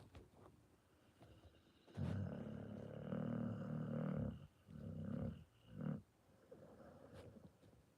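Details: Pit Bull snore: a sustained low rumbling rattle lasting about two seconds, followed by two shorter throaty breaths, then quiet breathing.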